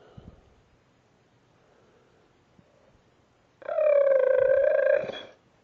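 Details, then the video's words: Pet dog making raptor-like noises indoors: after near silence, one loud, nasal, steady squeal of about a second and a half, ringing with overtones. Quiet speech precedes it. "dog makes raptor noises"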